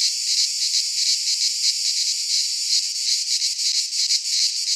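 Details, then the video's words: Greek pine forest cicadas at midsummer: steady shrill buzzing drone, its pulses smoother at first and then sharper, faster throbbing toward the end. "Cicadas singing in midsummer - Nature sounds from the Greek fauna - Sounds of cicadas"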